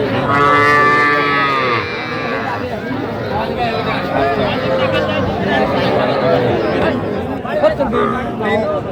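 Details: Small Sahiwal bull and heifer calves bought by a farmer in Gazipur on 7 January 2025: a calf gives a loud, drawn-out, nasal bawl for about two seconds, followed by busy overlapping men's voices and crowd chatter.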